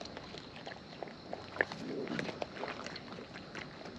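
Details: Wild raccoons eating close up, their chewing heard as soft irregular clicks and crunches, with a brief louder snap midway and a low outdoor rumble beneath.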